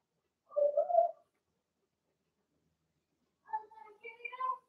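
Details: Blenheim Cavalier King Charles Spaniel puppies from a litter of six in an indoor puppy pen: two short tonal whines, a steady mid-pitched one followed after a pause by a higher, wavering whimper with clear overtones.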